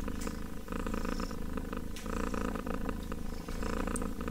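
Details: Very close kitten purring, a rich low throbbing rumble pulsing steadily with inhale and exhale, with brief pauses between breaths.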